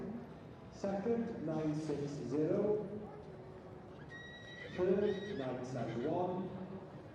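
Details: Welsh Cob at a show in the barren mare or gelding class for ages four to seven, giving two loud whinnies with wavering, falling harmonics a few seconds apart, along with hoof clip-clop and a man's voice.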